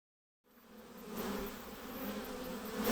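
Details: Honey bees buzzing near their hive: after a short silence a steady, droning hum with a low fundamental and a clear overtone rises in, growing gradually louder and fuller, with a dense, even texture of many wingbeats and no other sounds.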